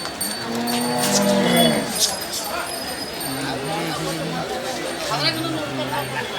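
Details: Cattle at the Ranebennur bull market, held every Sunday morning, giving a drawn-out low moo with a bending, wavering tone, then shorter stepped lowing calls, over crowd chatter, bells and music.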